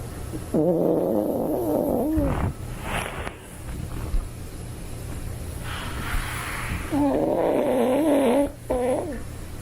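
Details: Sleeping toy poodle snoring: long nasal wheezes with a wobbling, whistle-like tone, each lasting under two seconds and spaced about six seconds apart, against a constant low background drone.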